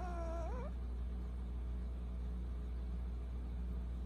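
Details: A Persian cat, the younger brother of a pair, ends a rising meow in the first second, followed by quiet with a steady low hum.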